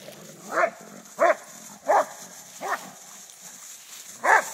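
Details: Play fighting Rhodesian Ridgebacks, father Akono and son Ghandi, with friend Paul; a quick run of four harsh barks roughly every 0.7 seconds, a short pause, then a fifth bark.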